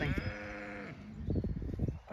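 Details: Zwartbles sheep on an Irish farm in County Kilkenny during lambing, rising and calling in expectation of feeding; one strong, quavering bleat of nearly a second, followed by crunching footsteps and the start of another call.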